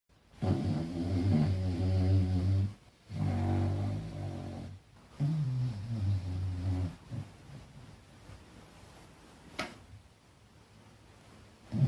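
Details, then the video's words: Falkor, a small dog, asleep and dreaming, gives big snores: three long rumbling, harmonic-rich breaths of about two seconds each, separated by short pauses, then quieter irregular breathing with a brief click near the end. "Falkor snoring and dreaming 🤣 small dog big snores ! Falkor rêve et ronfle !"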